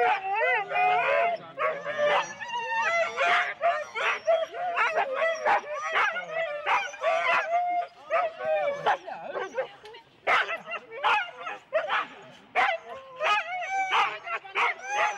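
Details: Husky sled teams of four dogs at the start in Rendlesham, January 2016, captured on analogue cassette tape: a dense chorus of excited, overlapping yelps and barks, some rising whines, dipping briefly around eight seconds before surging again.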